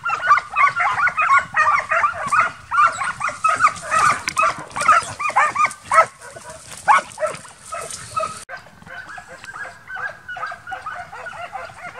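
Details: Transylvanian Hound pack, young dogs in summer training for wild boar hunting, barking densely and almost continuously at a steady pace, then thinning to softer, scattered barks in the last seconds.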